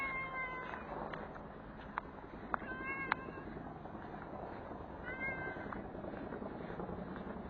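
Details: Stray street cat after being fed, getting a belly massage after its meal: a short harmonic meow at the start, a higher drawn-out meow near five seconds, and scattered clicks over a steady broadband outdoor hiss.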